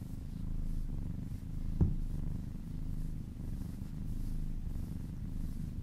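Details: Purring kitten being massaged, a dense low rumble throughout with gentle swells and one quick click near the start.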